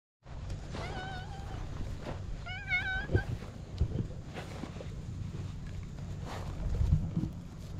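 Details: Stray cat on a Japanese cat island, approaching to be petted, gives two drawn-out meows with wavering, slightly falling tones, the second brighter and higher. A steady low rumble and handling noise continue underneath.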